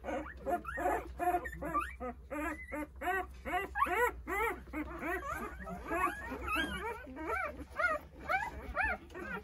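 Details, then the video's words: A litter of nine Jindo puppies, eight days old, calls for mother Sarang while she eats a treat; rapid chorus of rising-and-falling squeals, many voices overlapping continuously, with a faint background hum. "어미찾는 9마리 강아지들 생후 8일차❤️ 진돗개 어미~ 사랑이 간식먹는 사이에"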